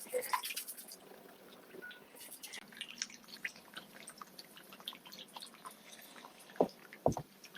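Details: Goldfish making chop-chop smacking sounds while eating: irregular wet pops and drip-like clicks at the water surface, busier in the first seconds, with two louder sharp smacks near the end, over a faint steady indoor hum.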